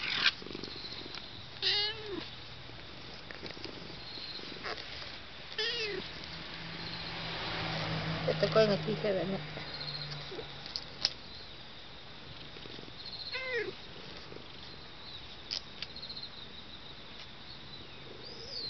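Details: Pet cat coaxing its departing owner to stay, with a few scattered, drawn-out meows spread over a long stretch, a soft low hum or purr-like rumble in the middle, and background room noise between the calls.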